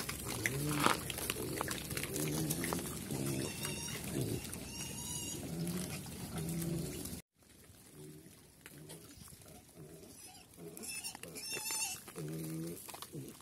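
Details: Pigs, locally called Chrouk Kandorl, living on a farm in Cambodia and running about; rough harmonic grunts and squeals repeat for seven seconds, then a short silent break, then more grunting with high squeaky squeals over steady background noise.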